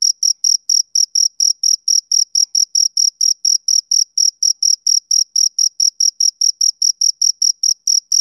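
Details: Male cricket chirping on a summer evening, a steady run of short, shrill, high-pitched pulses repeated about every quarter second with a fainter higher overtone, nothing else audible behind it.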